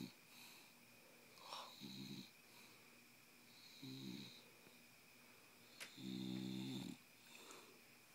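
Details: Wide-awake bulldog called Miss Piggy producing a run of wheezy snores indoors: three coarse low rattles, the last longest at about a second, separated by soft hissing breaths and a sharp click.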